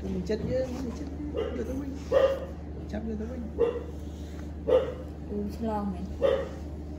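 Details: Newborn kittens, rescued from the street after likely being abandoned by their mother, are fed by hand. Short, high, harmonic meows repeat roughly every second or so, with people chatting in Vietnamese and a steady low hum behind.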